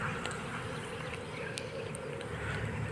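Honey bees give a steady, low droning hum, many wings buzzing together without a break.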